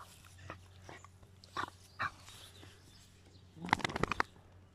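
Faint, scattered dog sounds from a dachshund give way to a short flurry of bright, sharp yips near the end. A steady low hum runs underneath.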